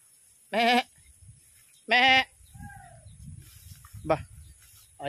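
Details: Domestic goat giving two loud, harsh bleats with a strong harmonic buzz, about a second and a half apart, then a third starting at the end; a soft arched chirp sits between them over low background rumble.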